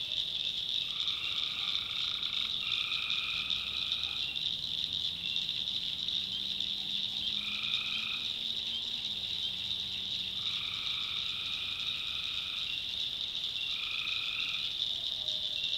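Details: Tree frogs calling at night in a swamp in the North Carolina backwoods: a steady, shrill, high chorus runs throughout while lower, nasal droning notes of about a second each sound five times; a faint low hum rises midway.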